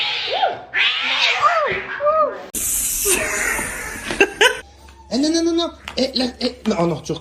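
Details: Domestic cat giving several short arched meows in quick succession, then a few more after a burst of noise, over people talking and laughing indoors.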